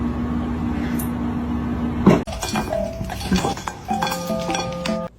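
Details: Dishes and glass clink indoors over a short musical backing, with no animal voice.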